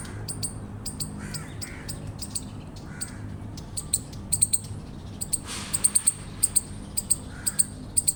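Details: Eastern chipmunk chirps: thin, very high chips that grow louder and more evenly spaced toward the end, with scattered lower harsh calls and low steady hum behind.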